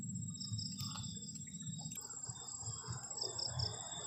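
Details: Crickets on a cold night beside a garden shelter at a forest edge during a solo camping trip: high, thin pulsed trilling near the top of the range, over a steady low rumble and scattered clicks from the campsite.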